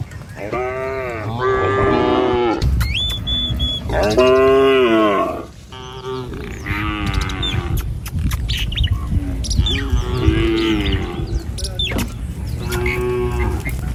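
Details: A herd of tame village cattle, driven by a herder over a wooden bridge to pasture, moos again and again, bending, wavering calls overlapping among animals, with a few thin high squeaks and background rumble.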